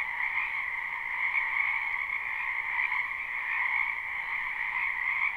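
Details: Frogs croaking en masse in a spring wetland: a constant, dense trilling chorus, with a brighter upper tone over a lower one, steady in volume across the whole stretch.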